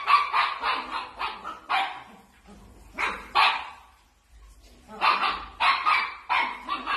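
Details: Playful dachshund puppies; bursts of high, sharp yapping barks in quick runs of three to four, separated by brief pauses with soft grunts, several clusters across the stretch.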